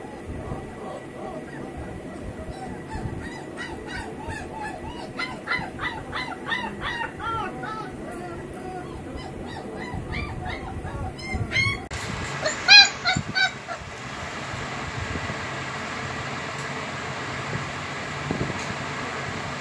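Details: Home-bred heavy-bone German Shepherd puppies give a long run of small high whines and squeaks that thins out. Then a burst of broad hiss and louder knocks takes over.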